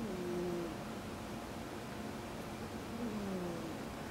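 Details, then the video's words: Asleep at home, rescued house cat Ameta snores in two slow breaths about three seconds apart, each a faint, low, drawn-out whistling drone over quiet room noise. "猫アメ太のいびき聞いてみますか？ Snoring Cat"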